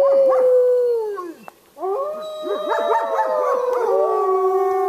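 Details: Wolves at the Lakota Wolf Preserve howling: a long, smooth tone falling slowly, a brief pause, then overlapping howls joined by quick bouncing, yipping notes, ending in a sustained steady howl.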